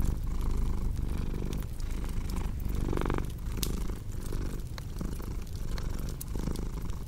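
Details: Deep continuous purring of a cat, low and rumbling, rising and easing with each breath, mixed with the snaps and crackles of a fireplace burning nearby.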